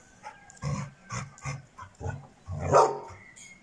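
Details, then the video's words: Bitzer, a six-month-old Šarplaninac puppy, barks five times in an uneven run of deep, rough woofs, the last one loudest and longest, with light background noise between them. "Šarplaninac Bitzer star 6 meseci"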